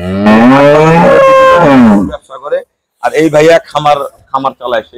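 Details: A dairy cow at Jannat Dairy Farm in Domar, Nilphamari, Bangladesh, one of two high-lactation cows taken by buyers from Moulvibazar, Sylhet, gives a long, harmonic moo that rises and then falls over about two seconds. People talk afterwards.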